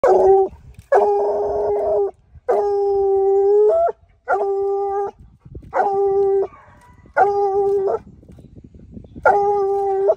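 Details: A 6-month-old Bluetick Coonhound pup that has just started treeing gives a run of drawn-out, ringing treeing barks, each about a second long.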